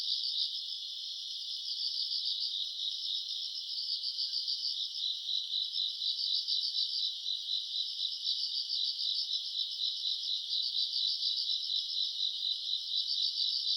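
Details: Grass insects chorusing on a summer night, recorded around August: a dense, continuous high-pitched trilling made of rapid pulsing chirps, steady throughout, with no other sounds.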